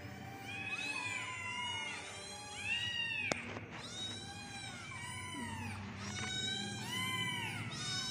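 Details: Many kittens mewing together in rapid succession, their high curved cries overlapping almost continuously, broken by a sharp click near the middle.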